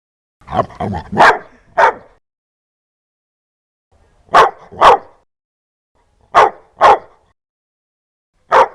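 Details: Dog barking fiercely and loudly: sharp, harsh barks in pairs and short bursts, a quick cluster near the start then doubled barks separated by pauses of about two seconds, against a silent background.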